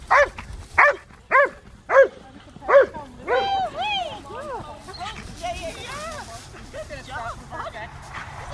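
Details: An Old English Sheepdog out herding sheep gives five quick, loud barks in the first three seconds, then fades behind softer drawn-out voiced calls and human speech.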